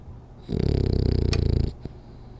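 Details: One heavy, fluttering snore from Rolly, a French Bulldog napping indoors; the low rasp pulses rapidly for about a second, followed by a soft click and quiet.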